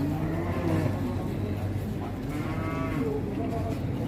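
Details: A low, muffled moo from giant Pegon cattle at a crowded Indonesian cattle market, partly buried in rumbling engine noise and background chatter, with a second brief lowing near the end.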